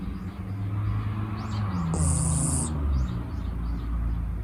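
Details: Sleeping six-month-old female Shiba Inu Mochiko gives one breathy snore around mid-clip, a low rumbling exhale topped by a brief thin whistle, surrounded by quiet continuous low background noise.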